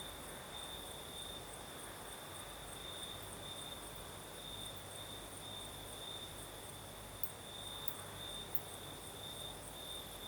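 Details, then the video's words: Crickets singing at night on the southern coast of Crimea with a night breeze: a steady high-pitched trill runs unbroken throughout, with a fainter shimmering chorus higher up over soft broadband rustle. "Сверчки поют"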